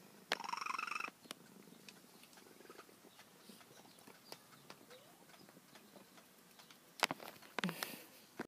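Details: Female feral cat, once extremely wild and later trapped and spayed, that her carer says sounds like a little bird: one short buzzy, rolling trill under a second long, followed by faint clicks and shuffling and a burst of handling noise near the end.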